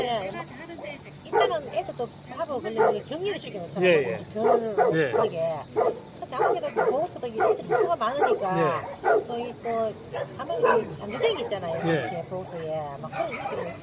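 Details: A crowd of abandoned dogs housed at a Daegu rescue shelter, Hanna's shelter, keeps up relentless barking, layered yips and bow-wows packed closely for the whole stretch, people's speech faintly underneath.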